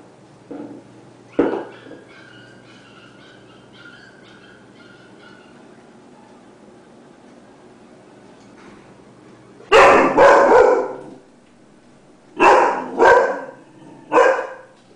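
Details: Lola, a female Dobermann kept as a watchdog, reacting indoors to noise outside: a few soft whimpering whines early on, then loud deep barks in two bursts, a double bark followed by three quick barks.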